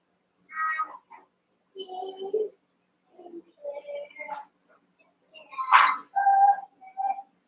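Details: Young Cavalier King Charles Spaniel puppies, eight together in a barn puppy pen, wrestling and playing; a run of short harmonic whines, yelps and squeaky yips in uneven bursts, one sharp high yelp near the end, in a quiet indoor space.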